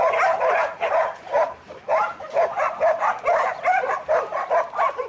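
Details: Steady, rapid barking from Buttons, a young male Border Collie in training: about ten sharp, mid-pitched barks in five seconds at a fairly even pace.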